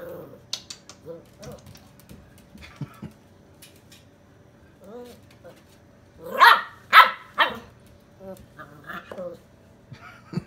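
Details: Excited Chow Chow–German Shepherd mix pup giving soft yips and whines amid human talk, then three loud, rough barks in quick succession, followed by quieter yelping calls trailing off.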